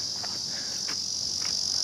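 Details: A cicada in a backyard sings a steady, shrill, high-pitched drone that never pauses.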